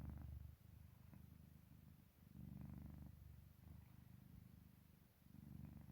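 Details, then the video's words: Low, throaty purring snore from Park Haru, a cat fast asleep, coming in breath-length bursts of about a second separated by short quiet gaps, with a steady hum underneath. "골골송인지 코골이인지"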